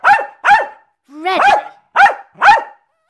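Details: Jack Russell Terrier barking while performing tricks: two crisp barks, then a longer, rising whiny howl-bark, followed by two more sharp barks in quick succession; no other sounds.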